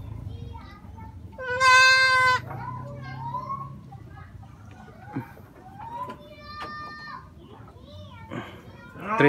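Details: Young goat bleating over fresh cut fodder, as eager as a kid just finding food: one loud, strained, quavering bleat early on, then softer short calls amid casual chatter.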